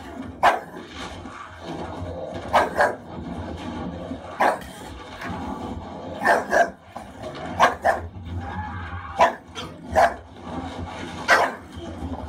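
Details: A pet English Bulldog, fiercely protective while watching a film showing an actor in distress during a bear attack, gives loud single barks every second or two over a low rumbling film soundtrack.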